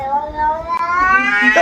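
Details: Domestic cat giving a long drawn-out meow with a steady harmonic tone that rises slightly toward the end, followed by a brief higher squeak; laughter and people's voices surround it.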